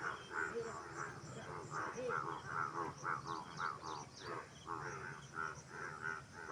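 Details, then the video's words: A dense frog chorus of many overlapping, nasal, croaking notes repeated rapidly, about two per second, with some faint higher chirps mixed in and a continuous low background hum. "Frog Sound"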